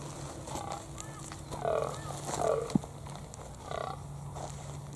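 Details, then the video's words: A fallow deer buck on a hill in Australia, heard in the morning, gives deep, guttural croaks, calling his does to come closer, while a hunter croaks back with his mouth to draw him in. "as y'all can hear this croaking noise is actually this buck fallow deer calling his girls trying to get them to come a little bit closer"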